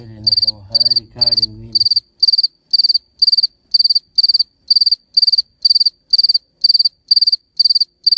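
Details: Crickets chirping: steady, high, pulsed chirps of four or five rapid pulses each, repeated about twice per second. A brief low, voice-like sound overlaps the first two seconds, then only the clean chirping continues.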